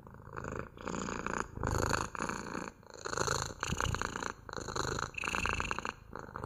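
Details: House cat purr, continuous low vibrating hum rising and falling with each breath, about seven swells in six seconds, close and clear with a faint airy hiss on top.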